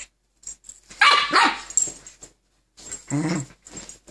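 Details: Keeshond pair battling for control of the bed indoors: a sharp, harsh bark-snarl bursts out, then after a pause a deep rumbling growl follows, with rustling in between.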